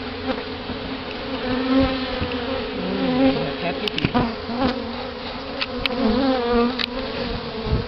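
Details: Buzzing of a freshly hived bee colony in Houston, Texas, in October 2011, recorded while the caged queen is let out; a loud, continuous drone with wavering tones from individual bees flying close, and several sharp handling clicks and knocks.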